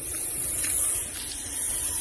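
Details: An angry snake, coiled in full attack position, hisses steadily like a pressure-cooker whistle, a harsh airy rush that dips briefly near the middle before swelling again, and it refuses to leave when prodded with a stick.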